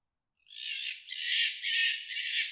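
A fox gives a harsh, raspy, high scream in several drawn-out bursts during mating.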